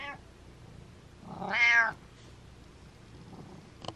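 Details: A domestic cat gives a single strong, rising-falling meow of about half a second, with a short faint chirp beforehand and a small click at the end, in a quiet room.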